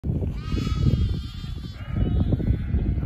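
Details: Lambs being brought in for the night by a herding dog; two drawn-out wavering bleats with a quavering tremolo, over heavy low rumbling from wind and movement.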